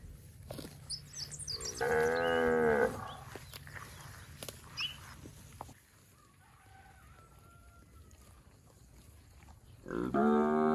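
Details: Healthy fattened village cattle in a rice field: one full-throated moo near the start, a quieter stretch with faint bird chirps and a brief whistle, then a second moo beginning right at the end.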